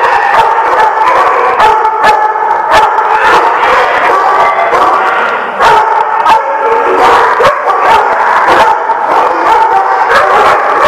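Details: Chorus of numerous dogs recorded November 19, 2016, barking and howling at once; harsh overlapping barks burst almost every half second over a steady wail of drawn-out tones, very loud and distorted for the whole stretch.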